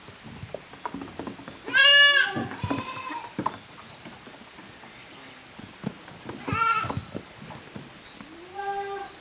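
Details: Young goats, the kids of Koharu and Okayu, playing in two teams in the exercise yard of a handmade goat farm in Japan, 13 June 2023: a loud wavering bleat near two seconds, a second around six and a half, a softer one at the end, with scuffling between.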